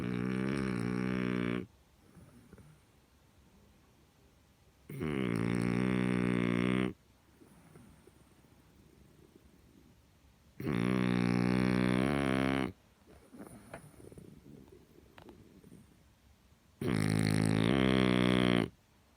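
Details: Loud snoring from a huge French Bulldog: four drawn-out, rumbling, harmonic snores, each near two seconds, recurring about every six seconds, with quieter wheezy breaths in the gaps.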